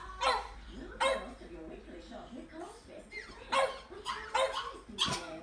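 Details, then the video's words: Two French Bulldogs, wanting to get inside but kept out, give sharp, harsh barks at irregular intervals, with softer whines and voices between. "French bulldogs barking"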